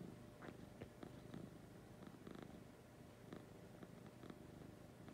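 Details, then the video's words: Lucy the cat purring in the morning, a quieter low rumble overlaid with scattered clicks and light rustling of fur or bedding near the microphone. "Lucy Purring in the Morning."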